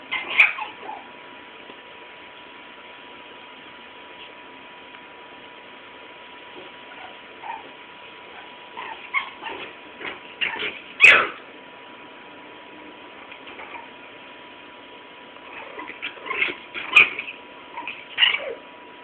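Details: Shih Tzu playing with another female dog named Yesenia and chasing her off; scattered high yips and whimpery play sounds in short bursts, with quiet gaps between and a thin, band-limited recording.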